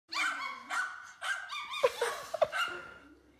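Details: Miniature schnauzer indoors, confused by a bark that seems to come from a phone; a run of short, high, yelping barks, four or five in quick succession, some with a whiny edge.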